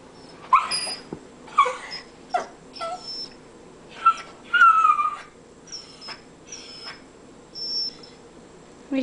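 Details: Brompton, a Cairn Terrier, goes wild watching a squirrel play in about eight inches of snow; high, thin whines and squeaky yelps come in short bursts nearly every second, some sliding downward, with quiet room hush underneath.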